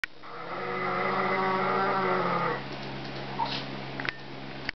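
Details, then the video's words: A male Schipperke, missing his absent owners and searching for them, tries to howl but fails, giving a brief, steady, nasal sound likened to a broken coffee maker, fading after about two seconds. "Schipperke howling fail"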